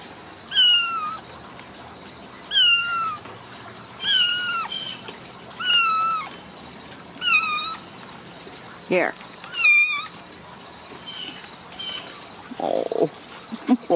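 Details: High-pitched, drawn-out mewing from Ragdoll kittens at a central Kansas home cattery, repeated roughly every one and a half seconds about six times, each call bending downward, followed by brief rustling and handling noises.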